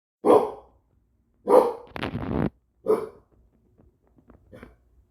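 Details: Pet dog barking at a wall: three sharp, loud barks about a second apart, a rough noisy burst between the second and third, then a few faint soft sounds.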